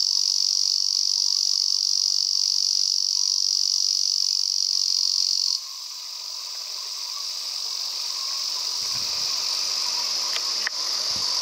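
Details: Male Lyristes japonicus cicada singing on a mountain walk near Kobe, in cool conifer forest above about 600 m; a loud, steady, sizzling buzz that drops in volume midway and then swells again, with faint rustling and a couple of clicks near the end.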